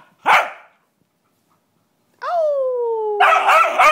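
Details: An Australian Cattle Dog, riled up along with other dogs, gives a sharp bark, then a falling, drawn-out howl that breaks into a harsh shriek.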